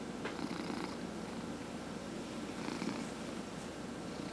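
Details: Indoor domestic cat purring during a massage: an even, low, vibrating rumble without pause, crossed by two brief brushing strokes of hands on fur.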